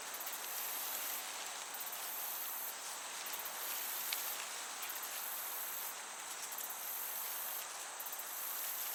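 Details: Crickets chirping in a summer meadow with a gentle breeze: a shrill, very high continuous trill that breaks off briefly about every second and a half, over a steady breezy hiss.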